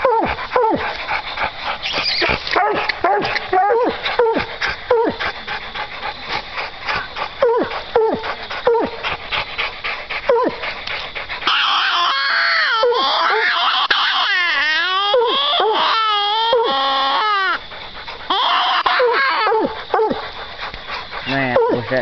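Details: Duke and JR, hunting dogs worn out after a long coon hunt, bark steadily at a treed raccoon; rapid repeated barks fill the first half, then rougher wavering yelps amid laughter and a man coaxing them.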